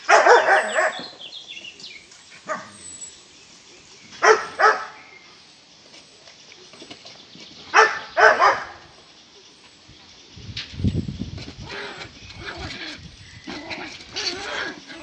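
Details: Schipperke puppy barking in a park: a burst of barks at the start, then paired sharp barks several seconds apart, with a low rumbling noise and faint softer yips in the later part.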